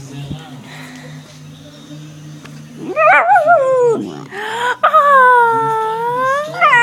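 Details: Pet dog Daisy, known for howling and barking, gives long, tonal, wobbling howls that rise then sag, after a quiet stretch with a faint low hum indoors.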